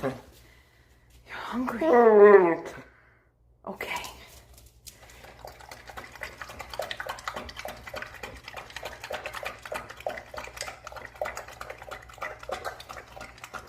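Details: Pit bull (Canis familiaris), grumbling whine: asking for food when hungry.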